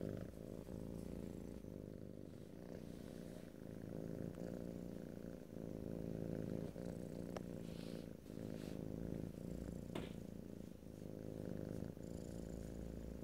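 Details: Strong, rumbling purr from a house cat held close, deep and steady across the whole stretch, pulsing gently with its breathing, faint small rustles in the background.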